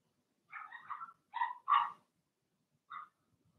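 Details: Young Blenheim Cavalier King Charles Spaniel puppies in their pen yipping and whining, a run of four high, slightly wavering yelps followed by a single shorter one, in a quiet room.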